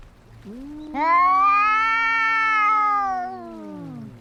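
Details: Fighting cats produce a drawn-out, sustained caterwaul, starting low and climbing sharply at one second into a loud, steady howl that slowly sinks and weakens over about three seconds.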